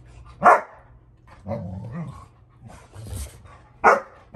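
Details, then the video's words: Rottweilers at home, older dog Fluffy correcting young Junior who tests the older dogs over a toy: two sharp loud barks about three seconds apart, with a low rumbling growl between them and faint human voices. "Rottweiler son and Dad Argue over a toy"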